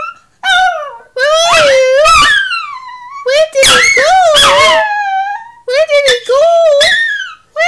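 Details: A female Chihuahua gives wavering, high whining howls in bursts, calling for her ex-boyfriend, a Chiweenie dog.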